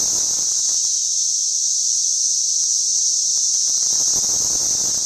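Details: June 5, 2011 in suburban St. Louis, cicadas recorded with a sound level meter produce a continuous shrill buzz at a high, even pitch, unwavering in loudness, with faint low noise underneath.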